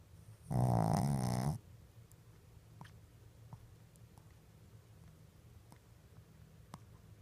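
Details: Deeply sleeping Shih Tzu, eyes open, lets out a single loud, vibrating snore of about one second, low and rattly, followed by several seconds of near silence with faint soft clicks.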